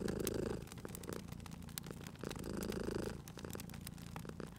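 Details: Cat purring beside a crackling fireplace in a cozy setting: a low, steady rumble that swells with each breath, loudest for about half a second roughly every two and a half seconds, with sharp pops of burning wood throughout.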